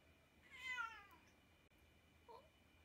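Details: British Shorthair cat filmed indoors during daily activities, one clear falling meow with bright harmonics lasting about half a second, then a faint short chirp-like sound near the end in a quiet room.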